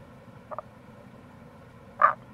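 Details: Tago's brown frog calling in April near a gorge on the Kamo River, Itoshima, Fukuoka, Japan; a faint low double croak, then a louder short grunting croak about a second and a half later, over steady flowing-water hiss.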